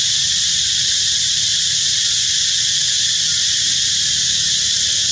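A cicada produces a continuous, intense buzz, a shrill hiss-like drone held at an even level throughout. No other sounds stand out above the insect's song.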